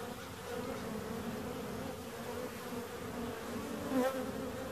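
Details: Even droning buzz of bees, with a brief, louder whine near the end as one passes close by.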